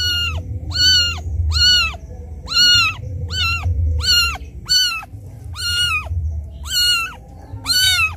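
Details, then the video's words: Kitten wailing for its absent mother, loud and insistent: about eleven short, high, bowed meows in quick succession, nearly one every three-quarters of a second, over a faint low hum. "Suara anak kucing menangis memanggil ibunya"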